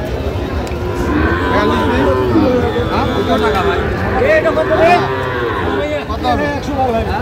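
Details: Sahiwal bulls at Ambari cattle market in Feni, Bangladesh, on 1 August 2025, several loud harmonic moos overlapping among a busy crowd, with men bargaining over prices in Bengali throughout.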